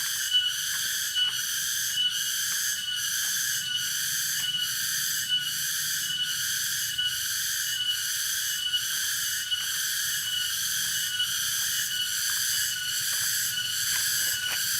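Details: Tonggeret cicada calling in nature at Dago, Subang, West Java: a dense, continuous high buzzing with stacked bands, pulsing roughly once per second throughout, faint low rumble beneath.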